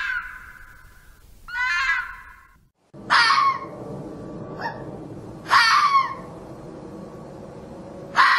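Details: Red fox calls in a mixed series: a flat whine, a rattling harsh call, then sharp loud cries with a whining note between, against faint background noise.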